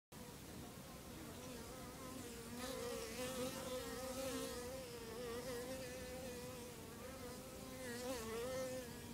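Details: Bees at about 8 in the morning, heard outdoors as a steady, low, droning buzz with a wavering hum that swells and fades slightly as individuals move about, continuing without a break throughout.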